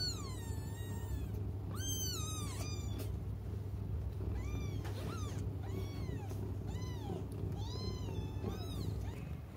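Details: Several young cats crying while waiting for their mother to come back; high, arching mews, often overlapping, repeated throughout with short gaps, over a steady low hum.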